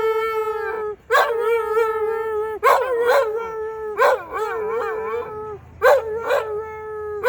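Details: Pet dog howling in song with music, sustained level notes punctuated by short yips and wavering breaks, a fresh phrase every second or so.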